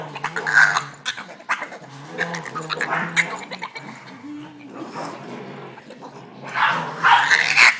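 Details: Frustrated Boston Terrier unable to join the other dogs at play, making odd strained whines, low grumbling growls and yelping squeals in an irregular run, louder bursts at the start and end.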